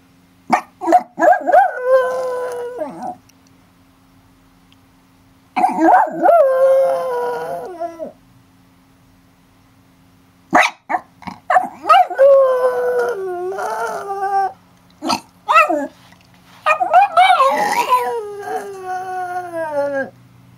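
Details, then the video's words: Dog named Banjo howling like a wolf in repeated bouts: yipping onsets swell into wavering, harmonic howls, each lasting a few seconds, separated by silent pauses, the final bouts rougher and more broken. "Banjo howling like a wolf"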